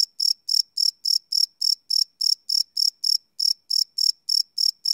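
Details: Night-time cricket chirping captured live on a Sony PCM D100 recorder, a bright, high-pitched pulse repeating rapidly and evenly, roughly three or four chirps each second, with nothing else audible.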